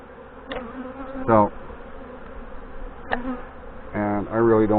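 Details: Western honey bees in a queenless hive hum steadily in a low, droning buzz, with bursts of louder buzzing as frames are lifted out in August, and a man's voice.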